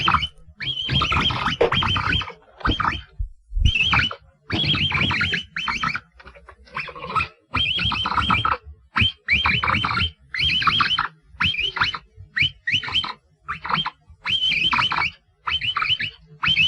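A capybara gives rapid bursts of squeaky, raspy chirping, broken by short pauses.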